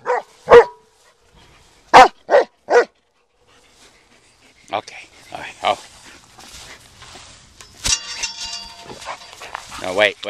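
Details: Black German Shepherd dog barking loudly: one sharp bark, then a quick run of three more within about a second, followed by a person talking and some handling noise.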